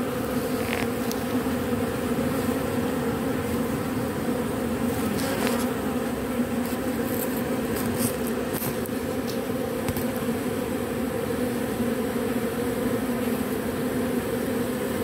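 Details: Robber bee reusing propolis from matchsticks, heard as a long, steady, humming buzz that never breaks, with scattered light clicks and taps in the middle section.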